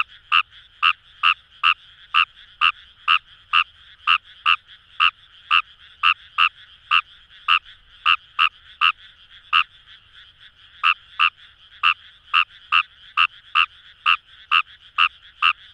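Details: Wild Kawamura's rice frog in rice paddies by the Kamo River, Itoshima, Fukuoka, Japan, giving a long series of about thirty short clipped croaks at a brisk, steady pace, with one brief pause midway; otherwise calm and quiet.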